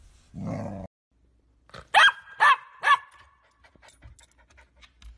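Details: Golden Retriever barking indoors: after a brief human voice, three sharp, loud barks come in quick succession about half a second apart, followed by faint rustling.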